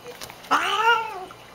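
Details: Female domestic cat vocalizing while drinking water indoors: one short, drawn-out meow-like call that rises then gently falls, with clear layered harmonics, preceded and followed by a woman's soft talking.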